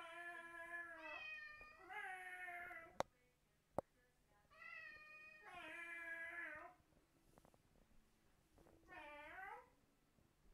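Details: Pet cat indoors replying to people's imitation meows; long, wavering harmonic meows about a second each, given in three drawn-out bouts with sharp clicks and quiet pauses between.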